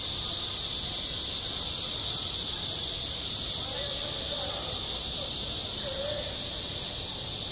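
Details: At a school playground in summer, cicadas keep up a loud, unbroken hissing buzz high in pitch. Faint murmuring tones sound softly underneath midway.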